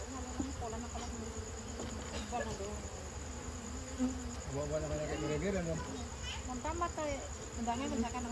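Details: Honey bees buzzing around their nest as honey is taken in an amateur harvest: a steady low drone with overlapping buzzy tones that slide up and down as individual bees fly close, over a faint background hiss.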